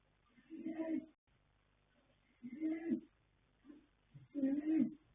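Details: Asleep, the young male foal Yanta, born 21 January 2026 by Fast Force from Pink Blossom, gives three throaty snoring breaths, separated by about two seconds, plus one small soft snuffle between the last two.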